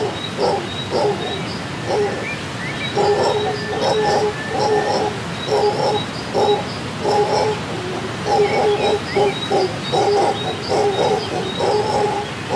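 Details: Howler monkeys in Costa Rican rainforest, heard on waking while camping, roar in deep, rasping bursts that rise and fall, with faint birdsong in the background.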